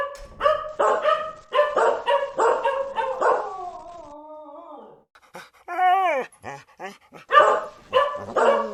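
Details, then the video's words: Rapid volley of barks from a dog leads into a sliding, falling howl-like whine, then a rising yelp and more barking at the end. "Ит дауысы | Dogs Barking Sound Effect | Лай собак"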